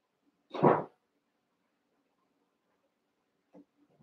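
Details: One-month-old Cavalier King Charles Spaniel puppies wrestle and play together in an indoor pen; a single sharp, harsh bark rings out, followed by a few soft thumps and faint scuffling.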